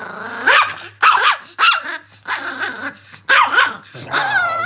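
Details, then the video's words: An angry Chihuahua lets out about six sharp, high, snarling barks in quick bursts separated by short gaps, with a rough growl carrying between them. "The most Angry Chihuahua in the world"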